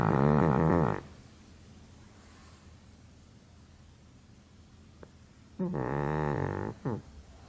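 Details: Snores from a sleeping pug: a short rasping breath, a long quiet pause, then another gurgling snore ending in a brief snort.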